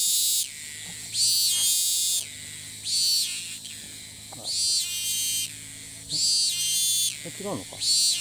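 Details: Cicada in Thailand, recorded at a distance, which flies off repeatedly and picks up its call on landing. Loud, raspy, high-pitched buzzing comes in regular bursts of about a second, separated by short quieter gaps. A brief falling warble sounds near the end.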